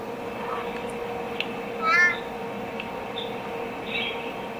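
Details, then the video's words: A male Peacock Tree Frog (Leptopelis vermiculatus) calls his heart out, giving a single short, nasal, slightly bent note over a steady hum, with a few faint clicks and chirps around it. "Peacock Tree Frog (Leptopelis vermiculatus) calling"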